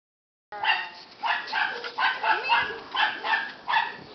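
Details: Rottweiler puppy giving a run of high, tonal yelping whines, about seven short bursts spaced roughly half a second apart, each rising and falling slightly, with a soft, steady background hiss.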